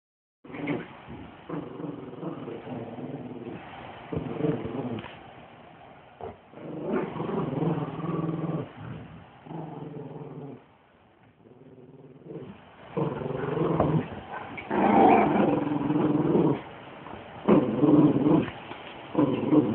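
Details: Playful growling from a Great Pyrenees and a Chihuahua during a game of tug of war, the Chihuahua pulling while the larger dog holds on; rough, rumbling growls in bursts of a second or two, with short pauses between.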